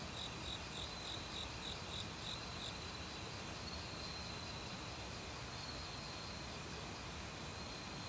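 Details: Forest crickets in autumn give a run of quick, evenly spaced high chirps for the first few seconds, then fade to faint pulses, all set against the continuous roar of a nearby valley stream.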